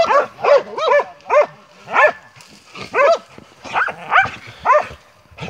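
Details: Montenegrin Mountain Hounds barking while hunting, from a kennel; loud, rhythmic bays repeated about every half second, each bark a rising-falling yelp with rich harmonics, some overlapping voices.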